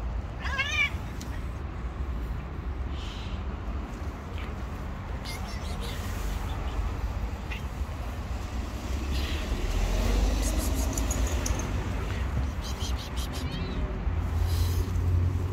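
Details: Stray cat living on the street, giving a few high, rising-falling meows early on, then fainter mews later, over steady low traffic rumble and outdoor noise.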